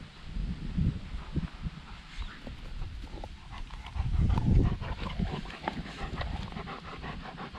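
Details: Dog at a dog run in October, after its summer pool was taken away; irregular breathy panting puffs that swell in the middle and then continue more quickly, over low rumbling outdoor noise.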